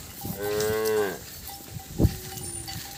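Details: Calf separated from its mother giving a single short bawl of about a second, followed by a brief sharp knock and a thin steady tone.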